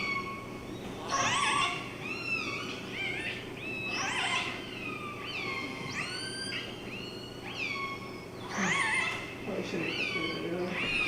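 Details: Killer whale calls recorded at the entrance to Kitimat: bursts of harmonic, whistle-like tones with sharp descending sweeps, some with rising ends, in four bursts roughly every two to three seconds over a low steady hum.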